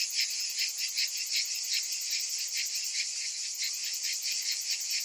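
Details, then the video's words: Cicadas singing in summer, many together, making a piercing high buzz that swells and fades in quick beats about two and a half times a second. "Cicadas in Summer"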